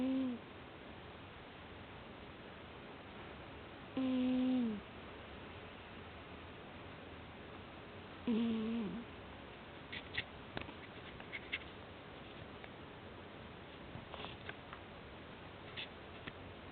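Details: A cat fast asleep snores three times, roughly every four seconds. Each snore is a brief, low, whistling hum that slides downward. Faint scattered clicks and small knocks follow in the quiet room.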